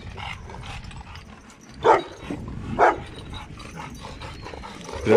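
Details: Dog barks from a first meeting between a Dogo Argentino, Lilit, and a group of seven rottweilers including Prenses and Gece: three separated single woofs about a second apart, with quieter murmuring and background noise between them.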